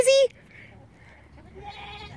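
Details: A baby goat gives one short, steady, high-pitched bleat with strong overtones at the very start, followed by a quiet stretch with only faint background murmur.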